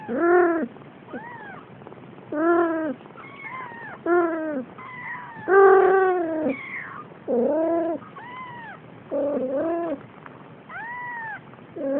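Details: Four-week-old male Siamese kitten at play, waving its paws in the air, gives a steady run of about ten high, arching, slightly plaintive meows roughly one per second, each rising then falling, with quiet background between calls.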